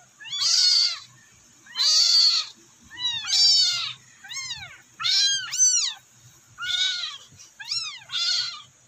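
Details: Abandoned kittens, now rescued, meow for their mother: loud, shrill, arching cries repeated about every second, some harsh and strained, others clear and bending downward.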